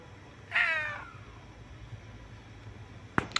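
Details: Stray cat resting on a couch outside a home gives a single short falling meow, then quiet outdoor background with a couple of sharp clicks near the end.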